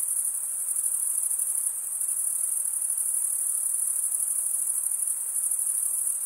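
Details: Male crickets stridulating by scraping one wing across the comb-like teeth of the other. The result is a continuous shrill, high buzzing trill with a slight pulsing shimmer, steady in loudness throughout.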